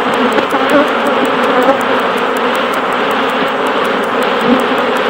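Honey bees at a hive make a dense, steady hum of many wingbeats blending into one drone.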